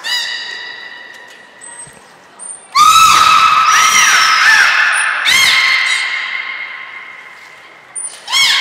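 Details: Aquarium belugas Hodoi, Taanya and Mirai, Port of Nagoya Public Aquarium, 14 March 2021, during training and pool transfer; loud, long harmonic calls with crackling pulsed onsets, held tones sliding slightly, plus short high whistle blips between.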